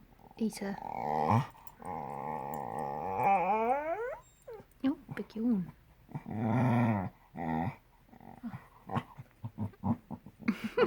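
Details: A cocker spaniel named Harvey gives drawn-out, rattling croaks and groans likened to The Grudge, then a long yawn rising into a whine, while a person chatters to him between the sounds.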